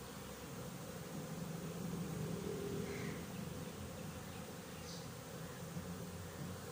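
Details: Honey bees humming at a bee farm, recorded 20 January 2021: a thick, constant drone with wavering low tones rising briefly in the middle, plus a short high chirp in the background.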